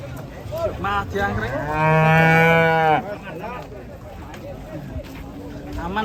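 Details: Enraged cattle that charged into a passenger car as people fled: one loud, deep, drawn-out moo of over a second, flanked by shorter wavering lowing calls, with music playing in the background.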